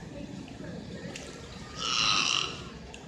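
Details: Single short noisy high-pitched burst, about half a second, from captive beluga whales at SeaWorld Orlando's Wild Arctic exhibit, over a low steady background hum.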